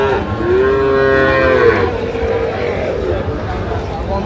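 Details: Sahiwal bull at Ambari cattle market in August; a single long, low moo that rises slightly and then fades over about two seconds, against constant crowd murmur.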